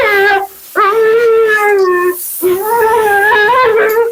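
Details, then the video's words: Mila, a dramatic female Siberian Husky, 'talks' while being bathed and groomed indoors: two long, sustained howl-like notes with a slight wobble and a short pause between them, loud in a small room. "Talking Husky"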